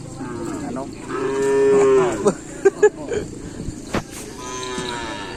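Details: Racing cattle practising at the Asemanis track in Pamekasan for a kerapan sapi contest: a single long moo, then several sharp knocks and clatters amid people's voices and a fainter second low call.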